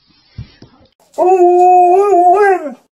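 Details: Female Alaskan Malamute puppy in her first week at a new home, playing with and trying out old toys: a sustained, tonal, harmonic howl-like whine of about one and a half seconds, wavering slightly and falling at the end, after a few soft knocks.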